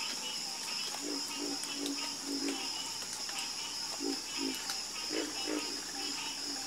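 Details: Frogs croaking in a night chorus: short, low, knocking croaks repeated in loose clusters, some overlapping, over a constant high-pitched drone in the background.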